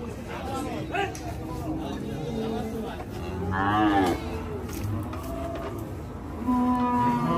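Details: Cattle unloaded from a truck at Hazratpur haat cattle market: a clear, wavering moo in the middle and another toward the end, over crowd voices and faint music.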